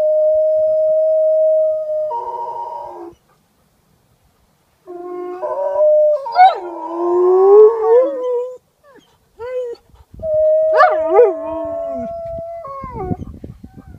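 A tame wolf gives long, steady howls that break into wavering, yelping notes.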